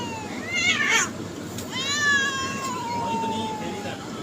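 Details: Cats meowing to attract others: a quick rising meow with a clattering sound, then a long, bright meow that slides slowly downward for over two seconds, with light background noise.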